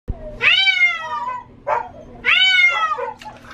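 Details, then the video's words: Female domestic cat that hates water, yowling while being given a bath: two long, loud, drawn-out harmonic meows with a brief cry between them, pitch falling slightly through each call, over a low steady hum. "Cat sounds like she is saying Help Me"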